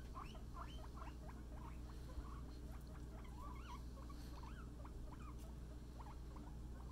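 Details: Floor-time play for guinea pig Scruff and a friend, with lively, varied chirps, some sweeping upward sharply, others wavering, tumbling out in quick succession over a low hum.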